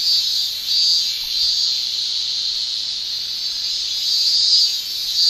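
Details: A dense summer chorus of cicadas in Japan, a steady high-pitched shrilling that swells and fades slightly.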